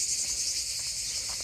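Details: In July in southern France near Montpellier, a chorus of cicadas makes a dense, continuous, loud, high, sizzling buzz with no pauses, heard in the evening during a walk among fig-scented surroundings.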